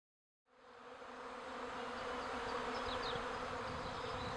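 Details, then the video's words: Wild honey bee colony living untreated for twenty years under the roof of the Villa le Bosquet teaching apiary in Normandy, Calvados, France; dense continuous buzzing hum swelling in after a brief silence, steady and even throughout. "Une colonie d'abeilles sous le toit du rucher école Villa le Bosquet"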